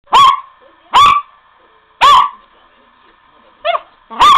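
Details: A Miniature Pinscher, running after a ball, gives sharp, high-pitched barks spaced roughly a second apart.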